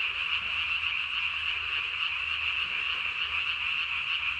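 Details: Japanese tree frog calling at night on 3 May 2020, throat sac puffed out to about its body's size; shrill, rapidly pulsing rasp continues evenly for several seconds with no other sounds standing out.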